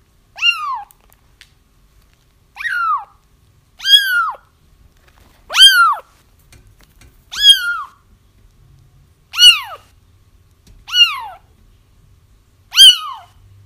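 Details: Kittens crying, played to lure a feral mother cat into a trap: high, arched mewing cries falling at the end, eight spaced calls roughly every one to two seconds, quiet background.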